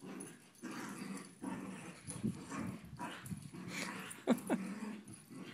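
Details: Household dogs interacting before a sleep-over, making steady low play growls with shorter rumbles, plus two sharp high yelps close together near the end.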